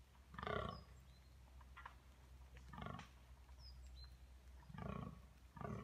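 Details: A red deer stag at Domaine d'Aristée, France, gives deep, hoarse rutting roars (bellows) in short bursts, with faint bird chirps behind.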